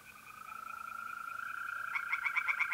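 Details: Tree frogs singing by a pond at night in mid-April in north-east Italy, a fast run of pulsed croaks building into louder rapid bursts, over the steady high trill of mole crickets.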